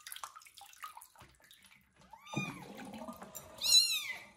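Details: Young kitten just after its first bath, tended by a foster mother cat; a few soft sounds, then rising-falling meows, the last one loud and high, over faint rustling.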